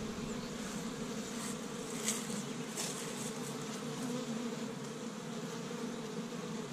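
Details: Spring activity at an established honey bee hive in Michigan on the first warm day, bees foraging pollen from tree buds; a constant, layered droning buzz of many insects, unbroken, with a few brief louder passes overhead.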